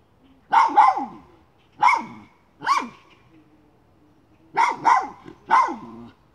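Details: Miniature schnauzer on a chipmunk hunt, letting out six sharp, yappy barks in irregular bursts: a double bark, two singles, then a quick run of three near the end, with quiet gaps between.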